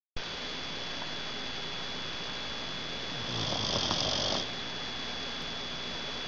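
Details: Roxxy, a dog, snoring while asleep with her head hanging off the edge of the couch; one breathy, rasping snore lasting about a second rises out of a steady background hiss, with a thin high tone throughout.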